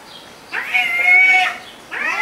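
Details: Cat giving a strained, high meow that holds steady for about a second, then starts again after a short pause, against a faint hiss of room noise.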